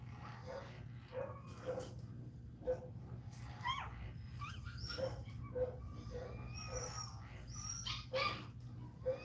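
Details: Indoors during a Cane Corso labour, another dog cries with a run of brief nasal whines and squeaks, repeated roughly twice a second with small pauses, over a constant low hum.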